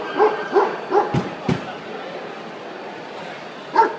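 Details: Young Central Asian Shepherd puppy, minor class at the 2013 World Dog Show: three quick high yips, two loud knocks, a pause with indoor background noise, then one final yelp.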